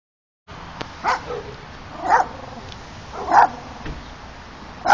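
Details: Miniature Pinscher in Puerto Rico barking: four sharp, loud single barks spaced roughly a second apart, after a brief silent start, with steady low background hiss.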